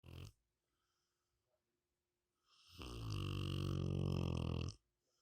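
A Rottweiler snores, one long, deep, rumbling breath after a short snort.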